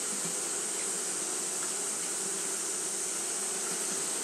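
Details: Japanese honey bees fanning nonstop on a hot day, a steady low droning hum under a constant bright hiss that holds unbroken throughout.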